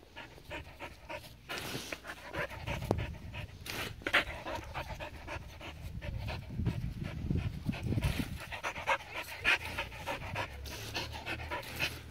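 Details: Border Collie, seven years old, having fun with water, panting steadily in quick rough breaths throughout, over a rumbling low-pitched background and occasional brief noisy bursts.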